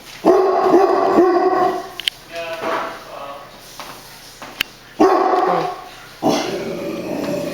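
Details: Pet dog Brownie, known for barking at everything, lets out quick bursts of loud, harmonic barks, followed by a pause with faint indoor sounds and then more barking near the end.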